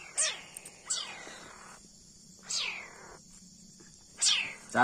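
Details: A leopard cat kitten being hand-reared on formula milk gives repeated spitting hisses. Each one is a harsh breathy sweep dropping from very high to mid pitch, coming roughly every one to two seconds over a faint steady insect-like hum.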